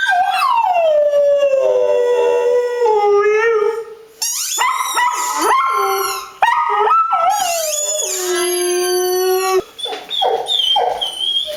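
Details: Pet dog howling loudly at close range: long drawn-out howls that slide down and hold a steady tone, broken by short rising yelps and wavering, quavering notes, several howls in a row.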